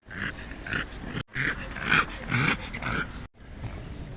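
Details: A fat little dog that is lost gives a run of rough, nasal snorts and grunts, about two each second, strikingly pig-like, with breathy bursts and short pauses between them.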